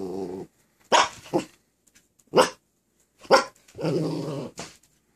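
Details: Miniature Australian Shepherd puppy after surgery, cone getting in the way, requesting help and an okay to jump up on the bed: low rumbling growls alternating with several short barks, irregularly spaced, in a quiet room.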